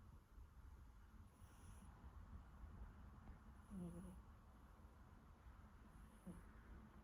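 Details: A Siberian Forest kitten snores quietly: two faint, squeaky descending breath sounds spaced a few seconds apart, soft breathy hisses, and a steady low hum throughout.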